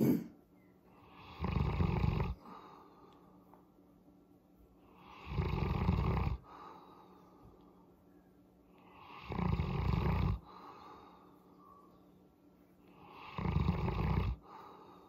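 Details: Boerboel named Molly, a pet mastiff-type dog, rumble-purring while enjoying a head massage: four deep, breathy, snore-like bursts, each about a second long, roughly every four seconds, with quiet breathing and a faint steady hum between.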